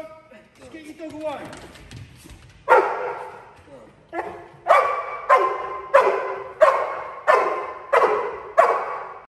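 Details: Protection-trained Cane Corso in a home invasion exercise: a person speaks briefly at first, then the dog launches into a steady run of about seven heavy, harsh barks spaced near one second apart.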